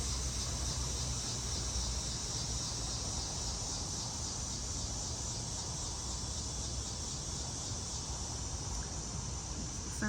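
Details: Summer-evening chorus of cicadas (locusts) hidden high in trees in Maryland, US, on an August evening after 8pm: a shimmering high buzz with faint rhythmic pulsing throughout, a low background rumble and a short click at the very end.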